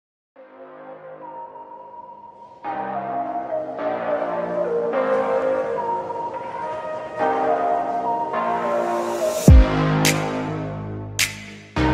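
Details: Soft ambient electronic music builds with sustained chime-like tones, and a few sharp bell strikes come near the end, with no animal voices.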